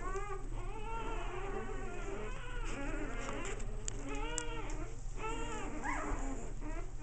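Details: Several American Bulldog puppies playing. Arched whimpers rise and fall, each lasting under a second and repeating almost continuously, with some higher yelps layered over a constant low background hum.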